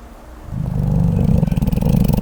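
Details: A sleeping koala snoring: a deep, throbbing, low rumble that swells in after a quiet half second and continues as a rapid, pulsing growl.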